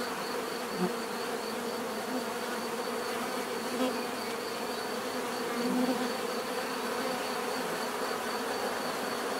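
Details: Many bees buzzing together in nature, a continuous droning swarm hum with occasional louder passes as individual bees fly close, and a steady thin high whine above.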